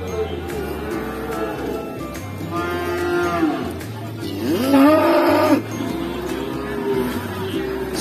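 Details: Jumbo Pegon bull, tall and big-bodied, offered for sale at the Winongkidul cattle market: two bursts of deep, arching moos around the middle, over a steady pulsing low music beat and light market noise.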